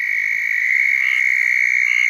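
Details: A southern toad calling at close range from breeding water on a cold (about 48°F) night in central Florida gives a loud, steady, high-pitched trill that runs unbroken from start to finish.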